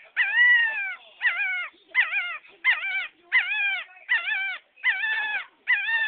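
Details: Puppy giving repeated short howls about once a second, each a wavering, slightly falling whine with strong overtones, eight cries in steady succession and quiet gaps between them.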